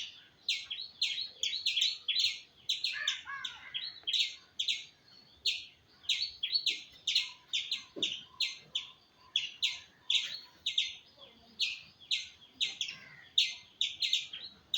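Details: Squirrel repeating crisp, high chirps in quick succession, pausing briefly between runs. A short, softer descending chatter is heard early on, with faint background sounds.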